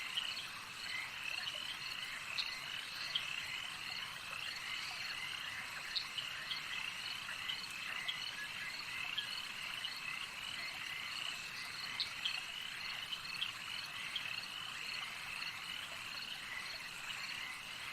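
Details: Crickets fill the night with a continuous, high-pitched shimmering chorus, countless overlapping chirps blending into an even, unbroken wall of sound.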